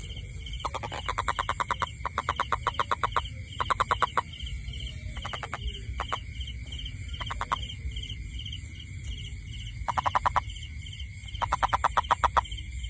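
A toad gives short bursts of rapid, rattling pulses, repeated every second or two.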